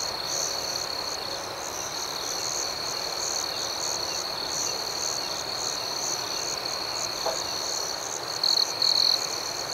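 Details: Many crickets calling at night: a sustained high whine with a steady pulse of chirps throughout, and two louder buzzy bursts near the close.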